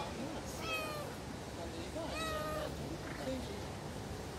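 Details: Stray street cats running after a person, wanting food: two clear harmonic meows, the first level and drawn out, the second rising then falling, followed by a short faint mew, over steady outdoor background noise.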